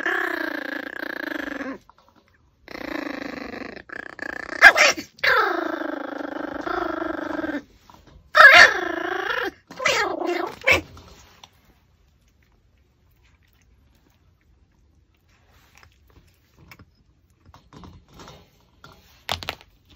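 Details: Pomeranian dog eating a raw pork backbone, giving several drawn-out tonal whines that slide downward in pitch during the first eleven seconds, followed by near silence with faint scattered clicks.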